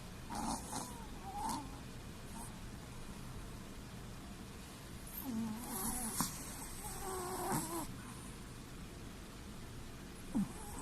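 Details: Sleeping Chihuahua with the whites of its eyes showing, snoring softly: faint, irregular breathy rasps and short snorts scattered across about eleven seconds, with no other clear sounds.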